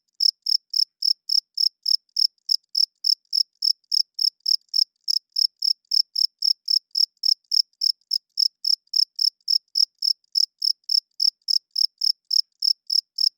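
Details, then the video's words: Loud cricket chirping at night: high, pure pulses repeated about three and a half times per second in a steady, unbroken train for over thirteen seconds, with a faint upper overtone and a silent background. "Cricket Chirping Sounds - Cricket klinkt 's nachts luid"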